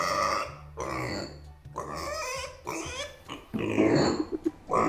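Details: Micro pig left behind by its owners, voicing discontent and anger: loud, harsh, drawn-out squeals and screams, with rattling, clattering noise and a steady low hum underneath.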